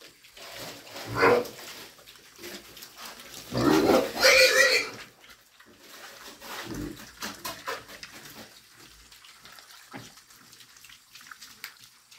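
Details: Pigs making noise while feeding: a short grunt early on, then a loud, harsh, rasping squeal-like burst lasting about a second, followed by softer scattered chewing and slurping noises.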